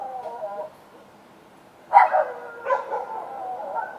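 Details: Several dogs outdoors at night: a brief whining, tonal call fades out, a second of near quiet follows, then two loud barks land close together near the two-second mark before softer yelps and whines trail on.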